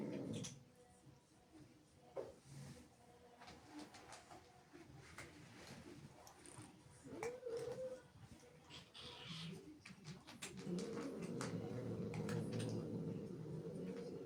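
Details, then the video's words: Female cat angered by kittens entering the house: scattered clicks and soft noises, then a brief rising whine, and finally a sustained, rumbling low growl that fills the last few seconds indoors. "Angry cat makes incredible sounds"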